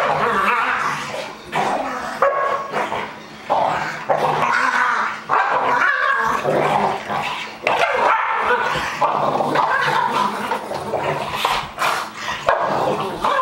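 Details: Two young dogs, a two-year-old Pug and an eight-month-old Pit Bull raised together since puppyhood, play-fighting indoors; dense, continuous growling and snarling with yips and short barks, a man's voice now and then.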